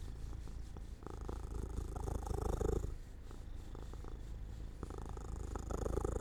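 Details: Sleepy house cat near a sunny open window, purring in a low, pulsing rumble with alternating louder and quieter phases as it breathes in and out.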